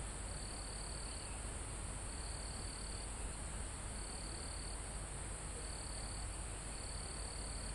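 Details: Mountain forest crickets near the top of the mountain, recorded live: high trills of about a second each, separated by short gaps, over a steady piercing insect hum and a gentle wind through the foliage.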